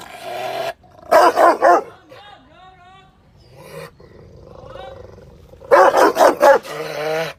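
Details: An angry Rottweiler gives two loud bursts of rapid, harsh barks, separated by a stretch of softer grumbling.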